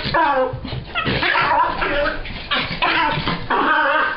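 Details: Female dog after a bath, drying herself by rubbing about; continuous excited whining and yelping with harmonic squeals, close and loud throughout.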